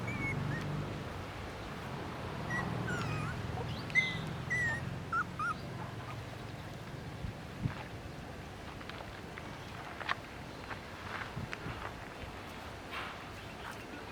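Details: Puppy crying with a few thin, high whimpers, short and rising then falling, clustered in the first five seconds before fading. Soft low rumbling background noise continues throughout, with scattered faint clicks.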